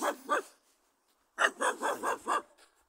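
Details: Dog that barks at a meeting, giving two short barks, a pause of about a second, then a run of five evenly spaced, loud, harsh barks.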